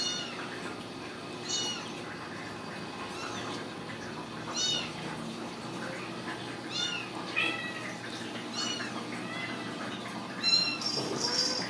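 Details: Ragdoll kittens raised in a home cattery in central Kansas, uncaged, mewing repeatedly: thin, high, arched cries every second or so, several overlapping, over a steady background hiss with a brief clatter near the end.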